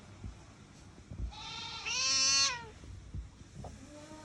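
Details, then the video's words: Angry cat letting out a long, strained harmonic yowl of about a second and a half, rising then sliding down, loudest near its end, with faint rustling around it. "Angry cat"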